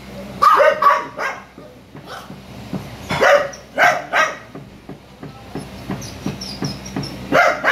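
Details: Kennel dogs barking after a female Chihuahua in heat broke out of her cage to find a Poodle male: clusters of high, sharp yapping barks, several in quick succession, with men's voices in between.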